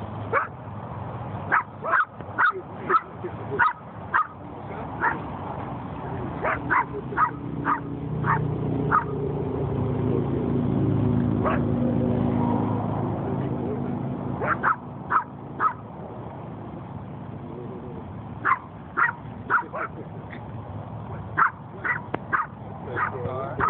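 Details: Black chihuahua playing with another dog, giving short sharp yips and barks in irregular bursts, some clustered in quick pairs and runs, over steady background hum with faint music.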